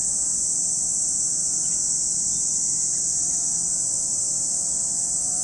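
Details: Steady, intense cicada buzz fills the air at Lake Kamo, Sado City, Niigata Prefecture, Japan, an even shrill hiss without breaks, with a faint layered mid-pitched hum in the background.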